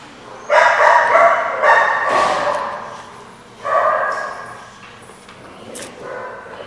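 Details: Dog barking in loud, harmonic bursts: a rapid run of overlapping barks over the first two seconds, a strong single bark near the fourth second, then softer, scattered yips toward the end, with faint background hum.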